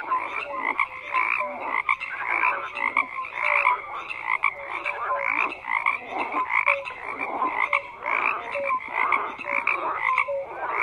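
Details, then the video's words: Steady frog chorus, many callers croaking over one another in raspy bursts, with small tonal chirps scattered throughout. "FROGS CROAKING"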